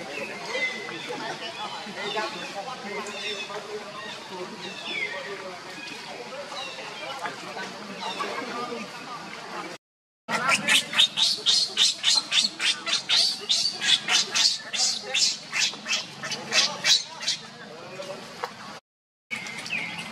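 A young monkey gives a long run of sharp, high-pitched screams, several each second, after a stretch of softer whining cries. The infant is calling for its mother; murmuring voices can be heard early on.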